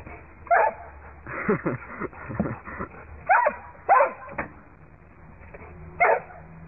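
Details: Dog chasing a squirrel gives short barks and yips, four clear ones spaced about a second or more apart, with softer whining or voice-like sounds between them. Muffled recording with a low background hum.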